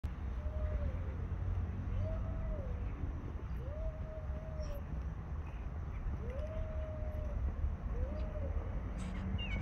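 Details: Two male stray cats living on the street, facing off before a fight: five drawn-out, mid-pitched wailing yowls, some flat and some rising then falling, spaced a second or two apart over steady low traffic-like rumble.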